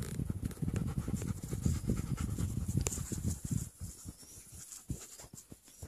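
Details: Playing young German Shepherds pant rapidly and heavily, a dense run of low breathy puffs for about four seconds that then thins out into softer, scattered breaths.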